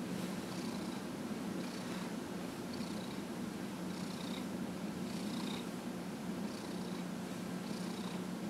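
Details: A 15½-year-old pet cat purring while being massaged, recorded January 31, 2018: a continuous low rumbling hum with soft, airy breathing swells recurring about every second.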